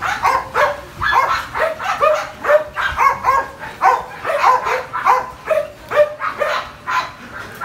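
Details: Phola, a Belgian Malinois almost two years old, barking steadily and rapidly, roughly two to three sharp barks per second, some doubled, with bright harmonic tones and little else audible.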